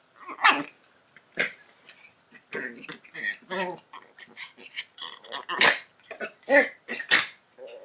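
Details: Two Schipperke dogs fighting, with rough growls, sharp barks and yelps in irregular bursts.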